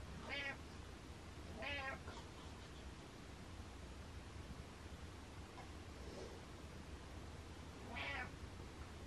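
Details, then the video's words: Butters, a pet cat, gives three clear meows spaced over about eight seconds, each a short harmonic cry with a faint low hum behind it. "Meow Meow Meow"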